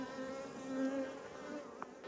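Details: A thriving honey bee hive buzzes as a beekeeper lifts frames heavy with nectar while searching for the queen. There is a continuous, droning hum with clear low tonal bands that waver in pitch, plus a brief click near the end.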